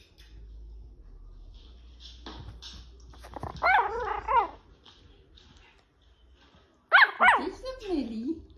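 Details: Nine-week-old Chihuahua puppy playfully barking at Puppy TV on a laptop: two short bursts of high-pitched, arching yips near the middle and end, separated by quiet, with a person's speech and low background noise.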